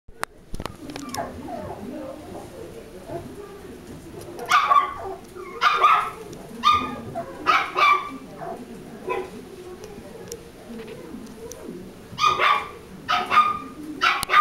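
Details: Chihuahua barking in short sharp bursts, clustered around 4.5–8 seconds and again after 12 seconds, with quieter low voice-like sounds between the barks.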